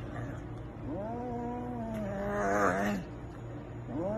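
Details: A cat gives one long, drawn-out meow of about two seconds. Its pitch wavers and then rises and swells toward the end. A second meow begins just before the clip ends, over a low steady hum.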